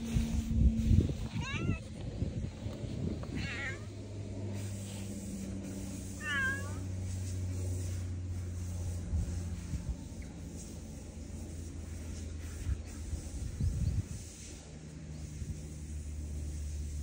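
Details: Cat living on Aoshima island, Japan, coming toward a bench while calling, 30 April 2024. Three short wavering meows about two to three seconds apart early on, followed by a long stretch of low rumbling outdoor noise.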